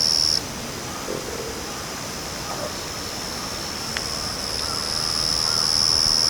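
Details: Hidden in backyard grass, a Yachisuzu cricket gives a short high buzzing burst at the very start, falls quiet, then resumes its thin continuous trill over the final two seconds, growing louder.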